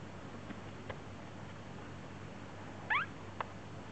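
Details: Seventeen-day-old Chihuahua puppies on 5 July 2010; Fei Mui is either having a nightmare or passing gas. Near-silent room, then one quick high squeal with two rising strokes close together, and a soft tick just after.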